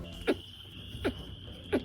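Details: A domestic rabbit makes soft, low clucks about three-quarters of a second apart while chewing something it likes, a sign it is calm, focused and not stressed.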